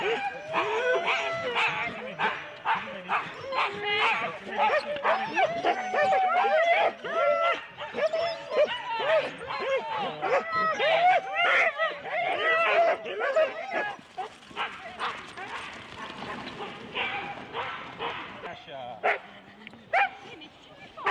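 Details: Husky sled teams of four dogs waiting at the complete start at Rendlesham, January 2016, a dense chorus of rapid overlapping barks and yelps, about a hundred a minute, with people's voices mixed in and quieter later.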